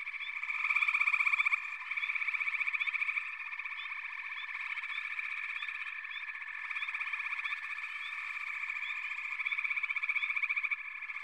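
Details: Dense frog chorus with rhythmic rapid trills pulsing over a constant humming mass of calls, a loud burst early on, and small upslurred chirps sprinkled across the recording.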